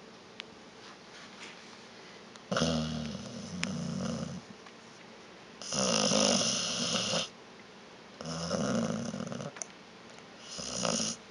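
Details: Vita, a sleeping pet dog, snoring indoors: four rasping, buzzy snore bursts spaced about two to three seconds apart, each with a low rumbling base and hissy upper noise, quiet breathing pauses in between.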